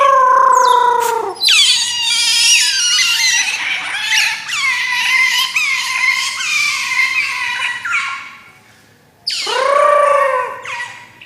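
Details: Otter giving loud, high, harmonic-rich squeals that slide downward, run together almost without a break for about eight seconds, then fall quiet before one more descending squeal near the end.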